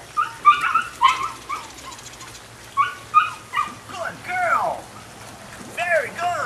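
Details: Nine-week-old female puppy, Rodin/Katana litter, gives a run of short high yips, then longer falling whines that swoop downward, several in a row, fairly close and clear.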